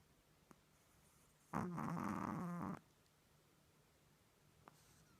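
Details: Sleeping Chihuahua, tongue out and eyes open, gives one loud rasping snore of just over a second with a low buzzy harmonic drone, set between stretches of quiet room hiss and two faint clicks.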